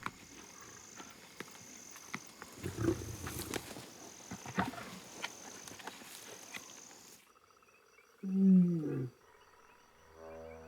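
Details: Lions in Zimbabwe's savannah, hungry young pride members feeding on a calf kill, growl and snarl over the carcass, ending in one loud, rasping snarl.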